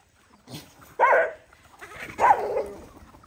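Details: Dogs feeding on rice as a group; two separate sharp barks about a second apart, each with a quick rising-falling yelp quality, in a quiet setting.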